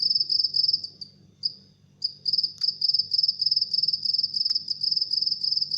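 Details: A house cricket chirps at midnight with high, pulsed chirps repeated about three times a second. The chirping falters and breaks off for a moment near the start, then resumes steadily over a faint low hum.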